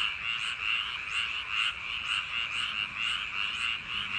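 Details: Summer night chorus of frogs along rice paddy levees, many voices overlapping into a continuous trilling croak, with regular louder bursts roughly every half second.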